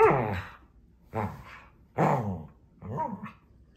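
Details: Scottish Terrier named Rory throwing a tantrum indoors while his owners are away on holiday: four loud, harmonic, whining yelps and barks, each under a second long, spaced roughly a second apart in a small room.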